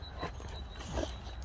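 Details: Rex, a talkative Boxer dog, whines outdoors while eager to play with younger brother Sammie; short, thin whimpering notes break through a steady low wind rumble, with a person talking nearby.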